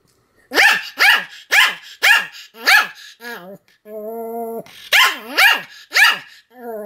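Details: Sam the Pomeranian barks in a steady run of sharp yaps roughly twice a second, broken by a long level whine before more barks and a final whimper.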